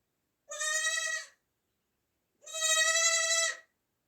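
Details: Two strong, wavering bleats from a newborn baby goat, the second longer at over a second, high and nasal with clear quiver, nothing else audible.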